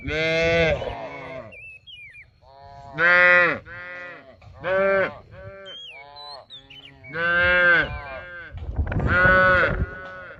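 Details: A herd of cattle roaming and grazing in a rice field: five loud harmonic moos, some short and some drawn out, with gaps between, and thin whistled bird chirps in the quiet spaces.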